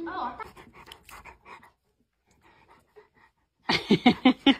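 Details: English Mastiff puppy at play indoors, panting in quick rhythmic bursts near the end, several rough breaths a second, after a man's voice talking and a quiet pause.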